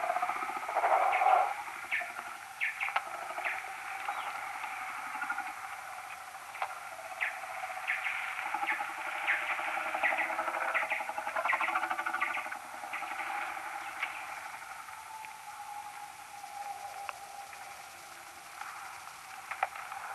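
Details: Common noctule social calls recorded next to a maternity roost with an EchoMeter Touch 2 Pro, played ten times slower: dense, rapid runs of short chirps and clicking pulses, some in quick bursts, over a steady faint hiss.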